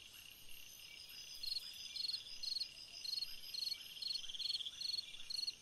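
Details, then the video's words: A cricket chirps in a summer night, regular short buzzy pulses arriving about twice per second, layered over a dense high ringing chorus of other insects. "Chant d'un grillon dans une nuit d'été / Singing a cricket in a summer night"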